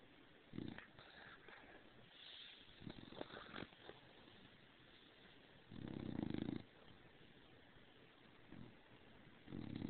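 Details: Sleeping under the covers and overheated, bulldog Stargazer Lily Rose gives low snores; scattered soft rustles and clicks early on, then one strong rumbling snore near six seconds and shorter ones after.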